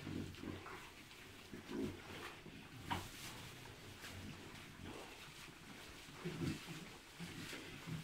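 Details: Hybrid piglets, three months old, bred from a Landrace sow and a Pietrain boar, giving low, brief grunts at irregular moments, a couple of stronger grunts standing out against constant low barn noise.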